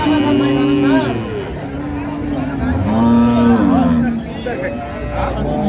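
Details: Improved-breed dairy cows and calves at Ambari cattle market, 2/3/25: several long, low, droning moos, each about a second, some gently rising then falling, with crowd murmur and voices behind.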